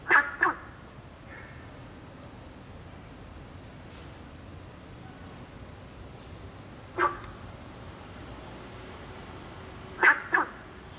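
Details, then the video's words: In May–June, Günther's frogs in a small pond on a school campus give short, hoarse, duck-like croaks, often in quick pairs, separated by long pauses. "北一女校園小水池 找找看青蛙在哪裡02 貢德氏赤蛙 青蛙叫 觀音棕竹 傘草 鳥巢蕨 雪茄花"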